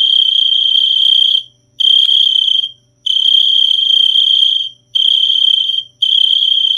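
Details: High, shrill cricket trill delivered in bursts lasting about one to two seconds, each stopping abruptly before the next begins after a short silence; no background sounds.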